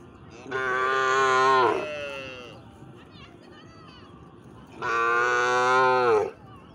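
A cow gives two long, loud moos with a short pause between them.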